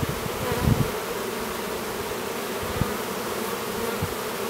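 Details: A new drone honey bee works to emerge from his cell, chomping at it, at an apiary near Duluth, Minnesota; a low, steady buzzing hum with a few soft knocks.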